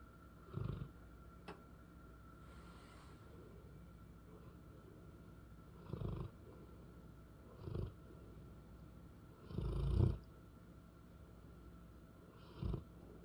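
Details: Pet English Bullmastiff female snoring indoors; low rumbling snores in short bursts every two to three seconds, one longer louder snore near ten seconds, over a steady faint hum.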